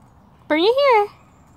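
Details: Rescued captive red fox, excited over a new toy, gives one half-second whine that rises and then falls, rich in harmonics, against a quiet room.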